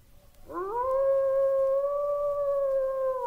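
A wolf howls, its voice sliding quickly upward and then holding a long, steady, mournful note.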